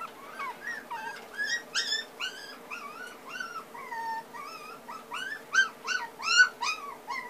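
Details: Young puppy crying continuously, a busy stream of high whining yelps, each a short arched or wavering squeal, about one every half second, over a constant low electrical hum.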